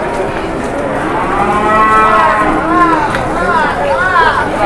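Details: Cattle in Indonesia while a deal is being negotiated and an angry cow charges. Overlapping moos with arching, wavering tones come in repeated swells, with crowd chatter and constant background noise.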